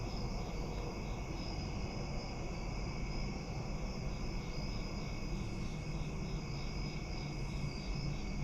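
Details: Several crickets keep up a continuous high-pitched trilling at night by a front porch, with faint regular pulses running through the chorus and a low rumble underneath throughout.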